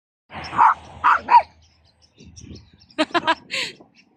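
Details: Pomeranian barking: three sharp, fairly high-pitched barks in quick succession, a brief lull with low rustling, then a rapid burst of short clipped yaps ending in one more bark against a quiet background.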